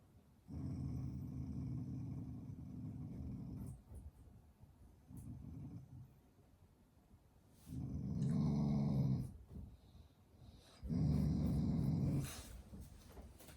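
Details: Shiba Inu, a loving family dog, growling as an affectionate expression rather than anger: four sustained low, rumbling growls lasting one to three seconds each, separated by quiet pauses, followed by a person speaking Japanese and telling it to eat.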